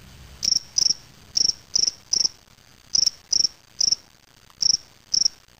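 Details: Caged spring field cricket, Gryllus veletis, recorded May 25, 2007 in Waterloo, Ontario, Canada; shrill pulsed chirps repeated roughly every half second, ten chirps with one brief gap, little else audible.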